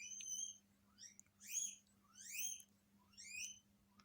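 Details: Several pet guinea pigs in a Hokkaido home react to an unfamiliar guinea pig heard from a TV, giving piercing upward-sweeping whistled wheeks, four in a row, roughly one each second.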